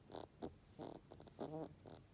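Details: Snore-like nasal breathing from Kira, a bedridden pet rabbit around 13 years old with a blocked tear duct and constant runny nose, used when hungry or wanting petting; short bubbly, rattling snorts in quick bursts.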